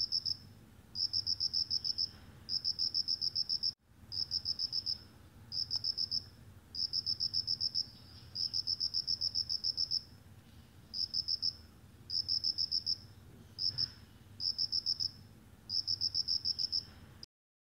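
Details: Cricket giving bright, high-pitched pulsed chirps in trains of several quick beats, bursts separated by short pauses, one brief dropout early on and a sudden stop at the end; soft low background rumble.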